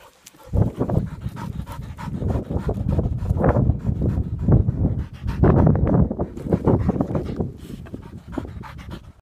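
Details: Daisy, a young, inexperienced female Labrador Retriever, pants after retrieving a cock bird with a clumsy pick and delivery. Her breathing is loud, rough and steady, with quick breaths running throughout.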